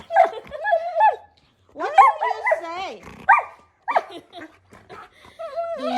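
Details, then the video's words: Husky-malamute cross dog 'talking' with its owner: a series of wavering, moaning, yodel-like harmonic vocalizations in bursts with short gaps, mixed with a woman's speech. "Best talking dog videos"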